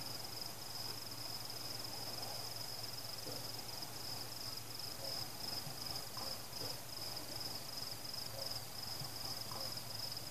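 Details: Crickets singing during a fireworks celebration, a continuous high pulsing trill over a low steady hum, with faint scattered fireworks sounds in the background.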